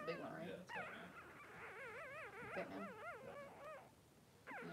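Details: Three-day-old Blenheim Cavalier King Charles Spaniel puppies, two boys born a little early, crying in their pen with mother Pom-Pom. A steady run of wavy, quavering whines rises and falls rapidly for several seconds, then pauses briefly before resuming.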